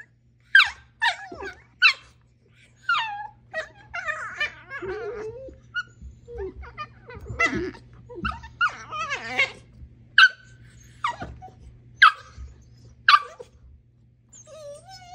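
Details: Mishka the husky at play with her dachshund: bursts of high yelping barks, whines and wavering yips at irregular intervals, broken by low growling rumbles between the outbursts.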